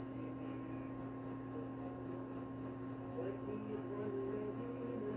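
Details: Cricket chirping, said to lull to sleep and keep mice away; evenly spaced, bright high chirps at roughly four per second, very regular, with a quiet electrical-like hum and faint low warbling in the background.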